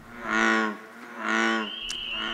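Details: An American bullfrog (Lithobates catesbeianus) in a pond gives two deep, droning, cow-like calls, each about half a second long; bullfrogs call in the lowest register and are noisiest in July.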